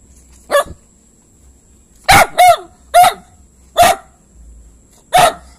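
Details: Barking from a dog: one short bark, a pause, then a close double bark followed by three more abrupt barks spaced about a second apart, with little else heard.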